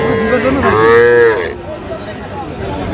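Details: Young Sahiwal calf, under three months old, at a January cattle market in Madaripur, Bangladesh, gives a single short moo with strong harmonics, followed by crowd murmur and market noise.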